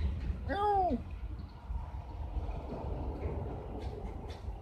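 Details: Domestic cat indoors, in a household introducing a new Bengal cat alongside a tabby: a single clear arched meow rising then falling, rich in harmonics, lasting about half a second, followed by low room hum and faint rustling.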